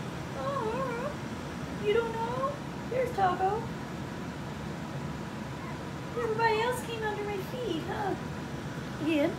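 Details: Whines from four-week-old puppies of Skittles' litter: wavy, rising-and-falling cries repeated in bursts across the recording, mixed with gentle cooing speech from a person in a small room.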